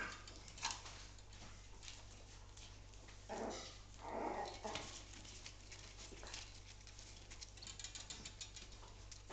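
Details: Five-week-old West Highland White Terrier puppies from the Canis Terra kennel give soft, breathy whimpers and squeaks in short bursts around the third and fourth seconds, amid pattering and scuffling noises and steady low hum.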